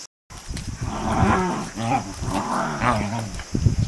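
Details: A Shiba Inu from a household group of Shibas greeting its owner home from hospital: low, moaning, wavering howl-like calls in three drawn-out bursts, rising and falling, with a person's voice close by.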